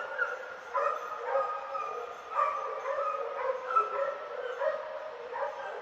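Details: Hunting dogs pursue and flush a wild boar, their barks overlapping into a continuous, somewhat distant chorus of yelps heard from outdoors.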